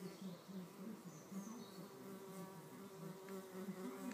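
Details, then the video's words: Red mason bees fighting over a nest cavity in a bee hotel, pushing, shoving and biting; a low droning buzz pulses steadily with brief higher whines, fairly quiet throughout. "Red mason bees-the fight"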